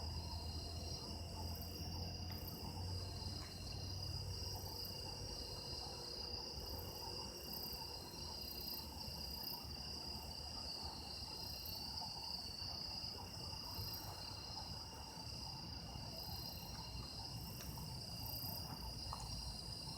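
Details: Autumn night insects sing in an unbroken layered chorus: constant shrill trills plus a very high pulsing beat that comes and goes every second or two, with low rumbling noise beneath.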